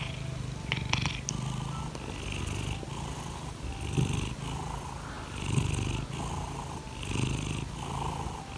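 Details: Domestic cat Laimi purring as she asks for petting one morning. A low buzzing purr rises and falls about every one and a half seconds. A few sharp clicks come near the start.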